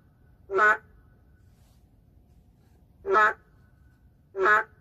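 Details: Endangered boreal digging frog heard in an urban setting: three brief buzzy, duck-like calls at uneven intervals, with a long pause after the first and near silence between them.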